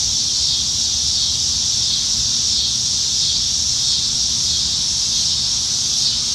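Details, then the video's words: Dense high-pitched droning of many cicadas in the trees on a Nebraska summer evening, July 2019, steady and unbroken, with only slight swells in loudness and a quiet low hum underneath. "Summertime Evenings in Nebraska - Cicadas"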